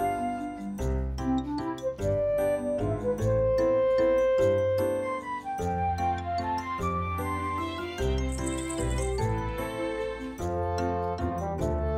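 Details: Bright tinkling melody of chimes and bell-like notes over a soft bass line; no animal sound is present.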